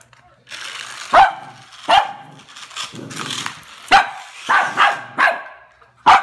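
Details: Cavalier King Charles spaniel barking at a toy rat: sharp barks in irregular bursts, with a steady low hum and quieter vocal sounds between them.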